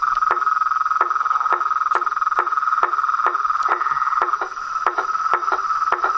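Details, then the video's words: Frogs, toads and tree frogs calling in nature: a steady mid-pitched trilling drone runs throughout, overlaid by sharp knocking calls repeated roughly twice a second. "Os sons dos sapos , rãs e perereca na Natureza"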